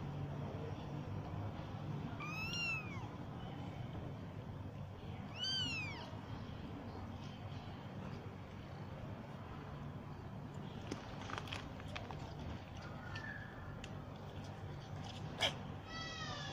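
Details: Very active young domestic kitten that wanders about searching for food while its siblings hide and sleep; two clear, high, arching meows about three seconds apart, with a further meow at the end and some clattering over a low hum.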